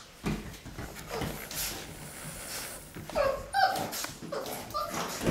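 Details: Six-week-old Boxer puppies in a litter at play indoors: scattered soft whimpers and short high yips among rustling and thumping, with a brief rising squeal near the middle and another yelp toward the end.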